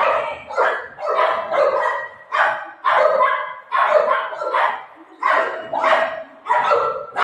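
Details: Golden Retriever named Buzo, playing with his mom and telling her that an aunty has come and to open the door, gives a run of about eight loud, harmonic barks, roughly one per second, with short quiet gaps.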